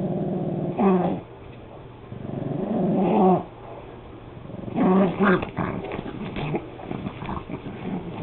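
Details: Harley, a pet Pug, growls during a slipper-biting play session indoors; low, throaty rumbles with harmonic bands, a few longer growl bursts separated by quieter breathing gaps.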